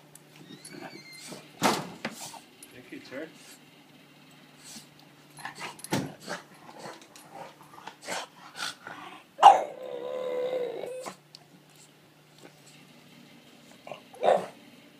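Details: Gizmo, a pet dog, greets its people indoors in a small room, giving a drawn-out wavering howl of about a second and a half amid short whimpers and soft vocal noises, with people talking throughout.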